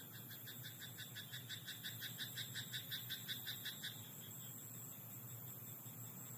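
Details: Rice paddy frog at night giving a fast series of evenly spaced, pulsed croaks for about four seconds before stopping, with a constant high buzzing drone and low hum behind.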